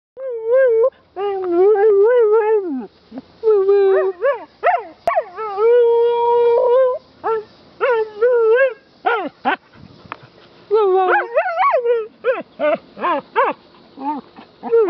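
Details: A female rescue dog that loves to sing and "talk" gives wavering, whiny howls that slide up and down, phrase after phrase.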